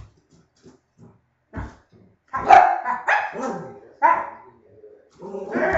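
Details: Dog barking in a barking contest: a few soft sounds at first, then loud, harsh barks in irregular bursts, each trailing off, with short pauses between.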